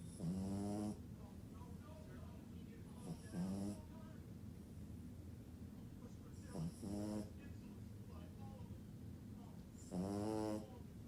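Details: Sleeping French Bulldog snoring: four loud nasal snores with a whistly, tonal edge come roughly every three seconds, with quiet breathing between them.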